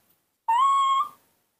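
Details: A baby monkey, raised by people and missing its mother, gives a single clear whistled call lasting under a second. The call is steady and slightly rising, with bright overtones, and it ends in a short fade. No other sounds are heard.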